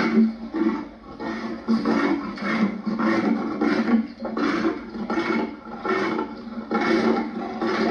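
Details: Lion in a continuous run of rhythmic, pulsing growls and roars, each throaty pulse following the last roughly every half second, loud and coarse throughout.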